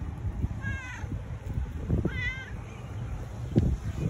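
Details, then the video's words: Tabby cat seeking affection, two short wavering meows about a second apart, with soft rustling and handling noise underneath. "Cute Tabby Cat Wants Love"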